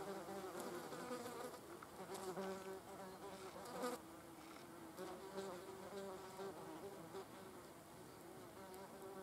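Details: Wasps eating a cadaver, a continuous droning buzz with stacked tones that waver in pitch as the insects move, fairly even in loudness throughout.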